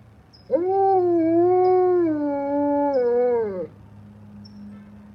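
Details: Alaskan Malamute howling along with fire trucks: one sustained, steady howl of about three seconds, slightly wavering, then dipping lower before cutting off, over a faint low hum.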